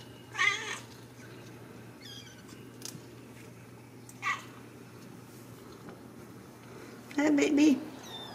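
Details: Ragdoll kittens from a home cattery in central Kansas, raised without cages: a bright, brief mew near the start and fainter mewing later, with a human voice toward the end and a constant low hum.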